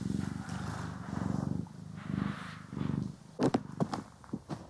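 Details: Domestic cat purring while being groomed and brushed, recorded indoors in stereo; low rumbling purr pulses in rhythmic breaths for about three seconds, then sharp clicks and scratchy brushing or handling noises take over.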